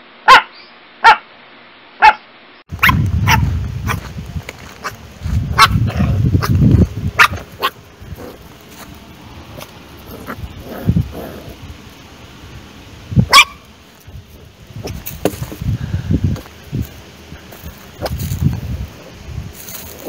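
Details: Dogs and puppies barking in a compilation of several clips: sharp, loud single barks early, then busy stretches of barking with low rumbling background noise and scattered yips.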